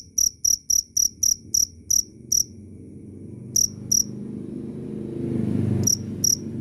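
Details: Cricket giving eight quick shrill chirps, then falling silent but for a pair of chirps while a low rumbling noise swells, closing with a single chirp.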